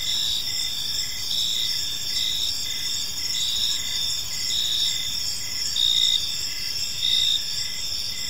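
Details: Crickets chirping in a peaceful park during evening, a bright, high continuous chorus broken into regular pulses about once a second, with a few slightly louder bursts and quiet low background noise.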